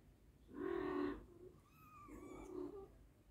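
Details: British Shorthair mother cat and kitten: a loud, harmonic-rich meow lasting about half a second, followed after a short pause by a quieter, higher, wavering mew with rising overtones; faint background hiss, no other sounds.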